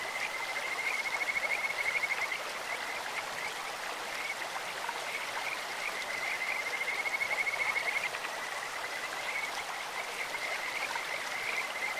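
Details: Kajika frogs calling in a clear stream: a high, sweet, birdlike trill of rapid pulses on one steady pitch, swelling in bursts around two and seven seconds, over a constant hiss of rushing water.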